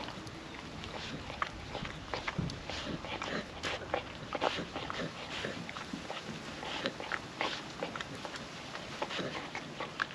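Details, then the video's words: A hungry female puppy eats wet food from a food trapper mat on a windy day. Steady, dense wet smacking, licking and clicking mouth noises follow each other rapidly throughout, with soft background hiss and no talking. "Wet food ASMR dog eating sounds"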